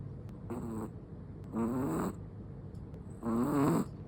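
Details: A Chihuahua snores in its sleep, giving three short raspy, buzzing snores, each about half a second long and spaced roughly a second and a half apart, with the last ones loudest.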